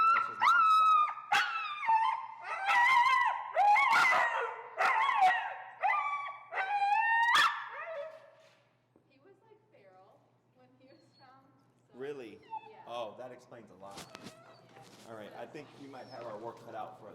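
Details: Finnegan the feral husky keeps complaining through a heel lesson: a burst of choppy, wavering yowls and whines for about eight seconds, then a quiet gap, then softer murmured grumbles mixed with a person talking.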